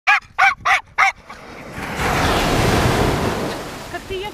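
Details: Jack Russell Terrier playing its favourite game on the beach: four sharp, quick barks in a tight burst lasting about a second, followed by the steady rush of surf and waves.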